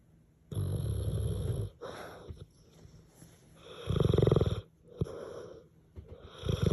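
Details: A sleeping male French Mastiff-Pitbull mix snores loudly, despite the joke that he is quiet; rough, rattling low snores swell and fade in irregular breaths about a second long, with softer wheezy exhales between.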